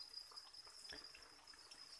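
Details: Farmed crickets raised on chick feed, a steady high-pitched chirring band holding at one pitch throughout, overlaid with soft trickling and scattered clicks from movement in the rearing pen.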